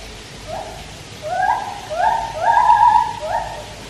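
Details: Loud white-handed gibbon song at Taipei Zoo near a swimming Malayan tapir: rising, sliding whoops building into longer, wavering notes with bright overtones, closely repeated and climbing in intensity, against a low background hiss.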